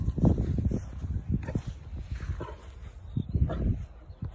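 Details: Neapolitan Mastiff puppy, four and a half months old, on its first meeting with people at the breeding kennel, giving a burst of deep, low barks and grunts in quick succession, with faint voices in the background.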